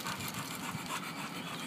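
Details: Mikey, a male dog, pants softly while being praised and told to sit. A steady, breathy, rasping rhythm runs through the whole stretch, with no voices over it.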